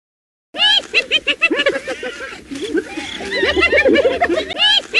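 A hyena giggles in a rapid run of high, arched, cackling yelps.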